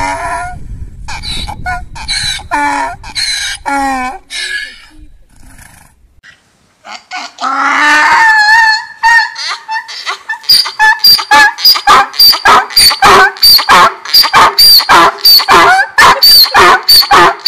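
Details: Donkey braying: rough, irregular notes at first, then a loud drawn-out note, then a rapid, regular run of short alternating high and low gasps.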